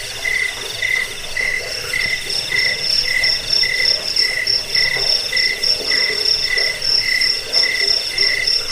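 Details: Cricket chirps recorded for scaring off rats, lulling people to sleep and tutoring songbirds: short mid-pitched chirps repeated about twice a second, with a higher, shrill, steadily pulsing trill running underneath throughout.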